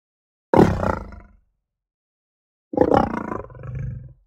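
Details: Lion giving two deep, harsh roars about two seconds apart. The first is short and abrupt. The second is longer and ends in a lower, throaty rumble.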